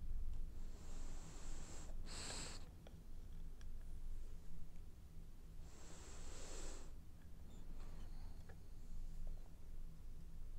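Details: French Bulldog snoring while dreaming indoors, two long wheezy, hissing breaths about four seconds apart, each ending in a brief snorting rasp, over a low steady room hum.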